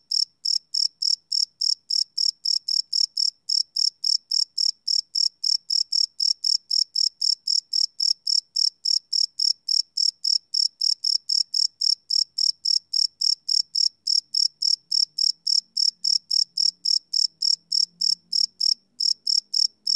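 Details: Crickets at night, recorded live with no loops on a Sony PCM D100: an unbroken run of high, even chirps, close to four pulses each second, with a faint low rumble toward the end.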